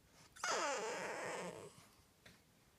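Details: French Bulldog indoors at night, protesting about going to sleep: one drawn-out, grumbling whine-groan lasting about a second, its tone sliding downward before fading into quiet room noise.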